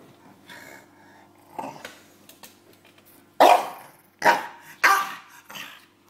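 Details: Bulldog named James playing with his pillow indoors: three loud, short barks around the middle of the clip, spaced under a second apart, followed by a softer huff, with low growly rustling and a steady background hum.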